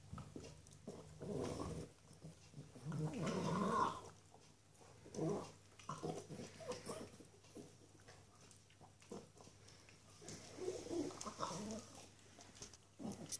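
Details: A small female Norwich Terrier enjoying a bone makes soft, low grunts and snuffling sounds in irregular bursts, mixed with chewing noises over a quiet indoor hum.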